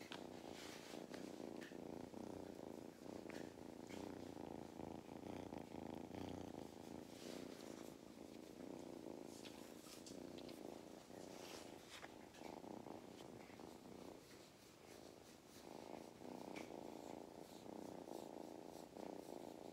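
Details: Mustard the cat, at a regenerative farm in County Kilkenny, Ireland, purrs contentedly while getting belly rubs: a long, unbroken pulsed rumble cycling with breaths, accompanied by frequent rustling and clicking from touch.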